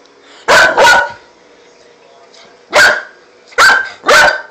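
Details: Loud barking from a five-month-old Pit Bull puppy: a quick double bark, a pause of nearly two seconds, then a single bark followed by another rapid pair.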